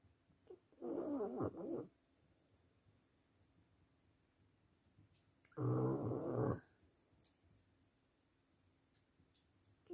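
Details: French bulldog (Canis familiaris), snoring.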